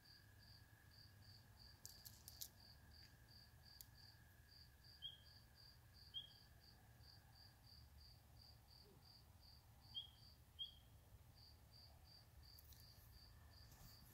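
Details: Spring peepers calling at a swamp: a handful of short, sharp upslurred peeps, some in quick pairs, rising above a steady, rapid high pulsing trill like crickets and a constant low hum.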